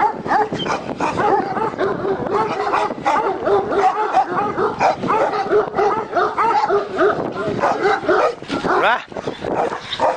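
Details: Dogs at a kennel specialising in large Turkish dogs, with a Turkish Malakli and a Korean Jindo dog present; dense overlapping barks and high yelping whines, continuous throughout, with some voices in the background.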